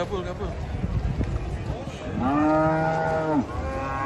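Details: Giant cattle being unloaded from a truck, one loud harmonic moo rising then holding steady for about a second before dropping off, over low rumbling background noise and faint chatter.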